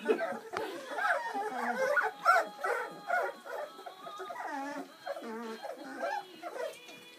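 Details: A litter of seven Bernese Mountain Dog puppies, born Valentine's Day 2013, at their first feed on Mothering Sunday: rapid, uneven yips and wavering whimpers from several pups at once, sometimes sliding downward, with people's voices faintly behind.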